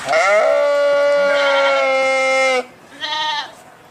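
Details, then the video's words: A sheep gives one long, steady, nasal bleat lasting over two seconds, followed by a shorter, softer bleat. "صوت الخروف | the sound of the sheep"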